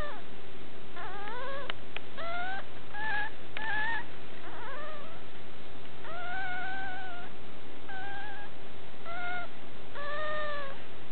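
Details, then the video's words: Young puppy whining repeatedly: wavering, rising and falling tonal whimpers, some brief and some drawn out, coming every second or so against a steady low hum. "puppy baby dog"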